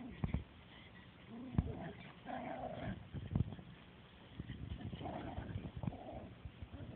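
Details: Two dogs, Oscar and Dollar, wrestling in a small dog run at Tompkins; intermittent moaning growls rise and fall between sharp knocks, with faint voices and city noise behind.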